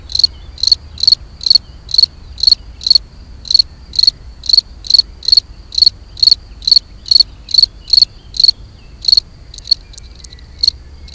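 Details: European field cricket (Gryllus campestris) giving its mating song: loud, shrill chirps repeated about twice a second in a steady series, ending with a few short sharp ticks; quiet background.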